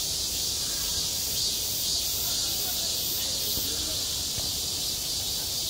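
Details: Cicadas in midsummer at a school playground, a constant high buzzing chorus that pulses about twice a second at its highest pitch, steady in loudness.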